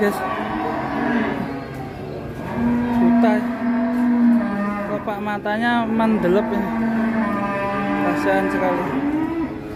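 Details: Sacrificial cow (sapi qurban), described as rampaging and panicking, lowing in one long, deep, wavering moo that swells and holds for about four seconds before fading, with faint background voices.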